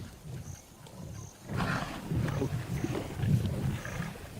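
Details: Lion from the largest pride on the west bank of the Luangwa River, Zambia: deep, pulsing low grunts swell in after a quiet start and repeat through the second half over a rumbling background.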